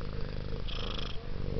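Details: Domestic cat Taffy, a female said to purr like a helicopter, purring in a deep, continuous, evenly pulsing rumble, with a faint hiss-like brighter patch midway.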